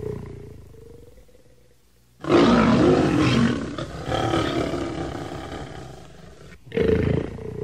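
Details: Lion giving a long, loud, rough roar that bursts in after two seconds of low murmur, holds for about four seconds with a grinding growly texture, then breaks off and flares up again briefly at the end.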